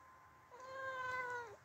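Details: Domestic talking cat answering its owner's "hey" indoors with a single drawn-out meow about one second long, steady then dipping slightly at the end, clear harmonic tone.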